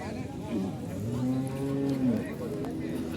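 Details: Cattle at a market in Jamalpur, Bangladesh, before the 2024 Eid al-Adha sacrifice: one low drawn-out moo of about a second and a half, steady then dropping at the end, with crowd noise and speech around it.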